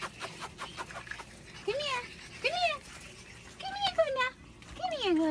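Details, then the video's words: A group of puppies play fighting indoors, giving a run of high, arching yelps and whines about once a second, each rising then falling, with people talking nearby. "PUPPIES PLAY FIGHTING!!"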